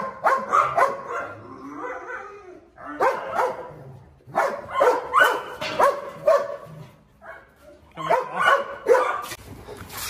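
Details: Presa Canario called Xuanfeng, injured and limping, squares off against a strong rival. Deep, forceful barks come in tight groups of three to five, separated by short pauses, with a man's shouting in the background.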